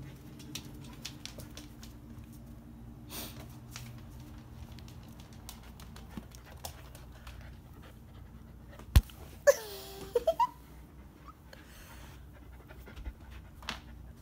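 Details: Bernese Mountain Dog with its first bone, panting steadily and quickly, then giving a short, wavering, high whining whimper midway, amid a few sharp knocks and thuds from handling and quiet room noise.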